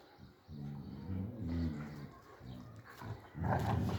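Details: Male and female German Shepherd puppies, three months old, giving low harmonic growls and whines in a string of short pulses through the first two and a half seconds, then a louder rough burst near the end.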